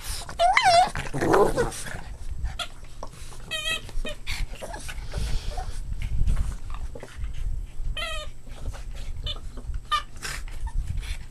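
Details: Boston Terrier puppies playing: a few thin, wavering whines stand out early and again later, spaced by stretches of scuffling, low thumps and a faint human voice.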